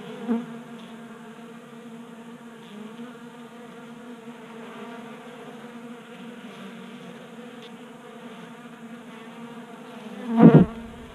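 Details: Honey bees feeding from a 3D-printed feeder in a Colorado garage during a 60-degree January day. A soft, steady, humming drone is framed by two loud buzzing fly-bys, the last one ending in a low thump.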